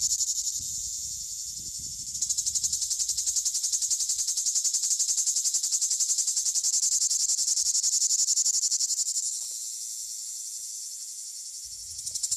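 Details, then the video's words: A plebeian cicada (Lyristes plebejus) gives a loud, continuous, high-pitched buzzing song that swells and then eases off. "Song of the cicada "Lyristes plebejus""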